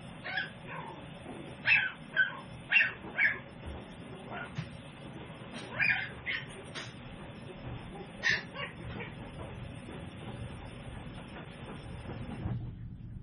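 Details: Tiny Toy Poodle puppies, seven weeks old, from a home breeder's litter: a run of sharp high yips and short barks, several close together early on, then scattered single yips over a steady low background hum.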